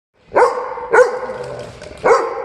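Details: A dog at a dog cafe barks loudly, seemingly asking to play out of boredom: three sharp, strong barks at about 0.4, 1.0 and 2.1 seconds, each with a bright harmonic burst and a short ringing tail.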